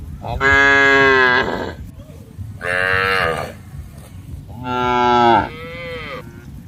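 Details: Cattle (Bos taurus) in an open grassy field alongside goats, buffalo and monkeys give three long, rich moos, each over a second, with steady low rumbling behind; finding: cow.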